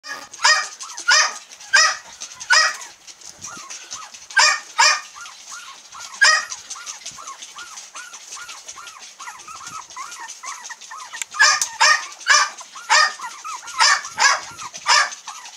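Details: Female cream long-haired Miniature Dachshund puppies, 22 days old, from a breeder in Kochi, Japan, give high squeaky whimpers and yelps in quick runs, short chirping cries repeated many times a second, with louder bursts every second or two.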